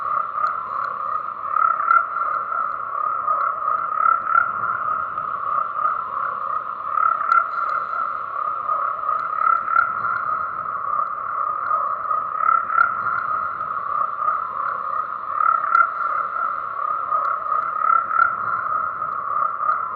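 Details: Continuous chorus of croaking tree frogs, an unbroken buzzing trill at a mid pitch with gentle swells in loudness every few seconds and occasional short higher ticks above it.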